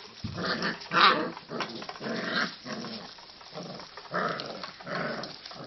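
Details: Kelpie puppies, five weeks old, playing together: rough rumbling growls and short yips in bursts roughly every second, with scuffling between them.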